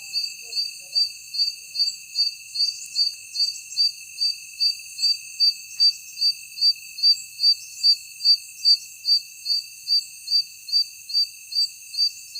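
A night insect gives high, thin chirps, more than two each second, over a steady shrill drone.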